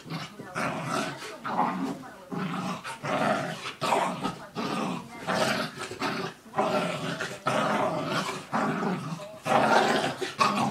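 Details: A mini dachshund and a Rhodesian/Aussie mix play-fighting as pets: rumbling growls and snarls come in repeated bursts, rising to louder, harsher peaks near the end.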